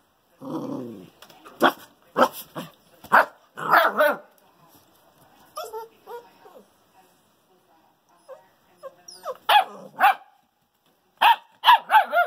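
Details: Two young female Bouvier des Flandres puppies, a fawn and a brindle, bark in quick bursts of short, yappy barks, pausing in quiet gaps before resuming, with a final flurry of rapid barks at the end.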